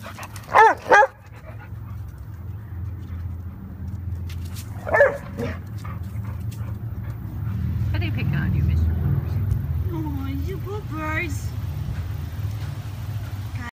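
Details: Eddie, a dog, at play with Red gives two quick loud barks, then a single bark a few seconds later, followed by rising, wavering whine-like tones near the end over a constant low hum.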